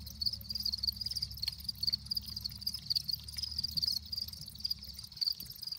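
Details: Several crickets, described as happy, chirp steadily, making quick high-pitched pulsed trills repeated in short bursts over a faint low background hum.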